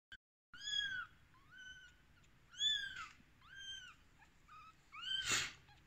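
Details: Rescued baby kittens on day 13 give high, thin arched meows, five or six short cries spaced about a second apart with harmonics stacked above, a brief rustling burst near the end.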